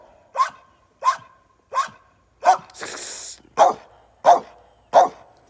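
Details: Merle American Staffordshire Terrier barking steadily, eight sharp, punchy barks at a regular pace of roughly one every 0.7 seconds, with a brief rushing noise between the fourth and fifth.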